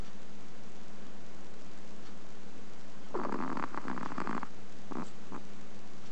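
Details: Chihuahua snoring softly while napping in the daytime, August 2010; a small snore with a harmonic-rich rasping burst for about a second midway, then two brief softer puffs, over steady low hum and background hiss.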